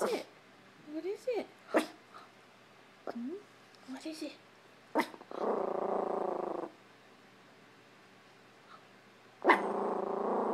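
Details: Prada, a pet Chihuahua, barking at a hamper of clothes in a living room: a few sharp, short barks and high whiny yelps, then a steady low rumbling growl lasting nearly two seconds, ending with one more sharp bark.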